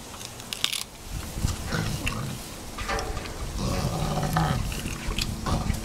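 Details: Chimpanzees at Chimpanzee Sanctuary Northwest, rescued animals, celebrating together: continuous hoarse low grunts and huffs overlap, with a brief tonal, hooting tone near the end and occasional sharp knocks above the chorus.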